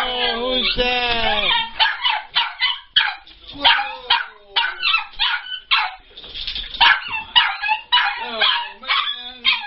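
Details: An overjoyed dog welcoming its owner lets out long, falling, whistling whines at the start, then a rapid string of high yips and squeaky whimpers, while people talk in the background.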